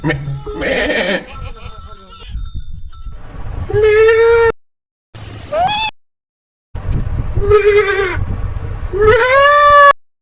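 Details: Goats and sheep in a compilation of funny calls: loud, strained, human-like screaming bleats with rich harmonics, several rising sharply at the end, in separate bursts split by abrupt cuts and silences; a steady ringing tone and noisy rustling open the clip.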